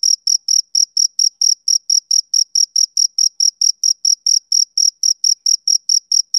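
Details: Male cricket on a summer evening producing rapid, even trains of thin, high chirps, about four per second, loud and unbroken, with no other noise around them.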